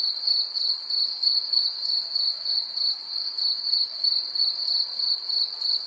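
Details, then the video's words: Cricket chirping in a steady, high, ringing trill broken into rapid pulses about three times per second, with a faint higher overtone and a quiet background. "Cricket insects sound effects"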